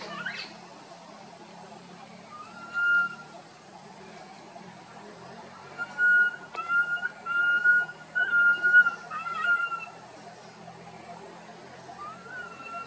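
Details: Small monkey wandering and crying out loudly near its group. Thin, level whistled wails come in short bursts, clustering into a run of repeated cries midway, over a low steady background hum.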